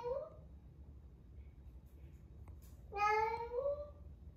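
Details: Female rescue cat, 11 months old, during her first heat indoors: the tail of one meow, a quiet pause, then a loud drawn-out cry rising slightly in pitch and lasting about a second.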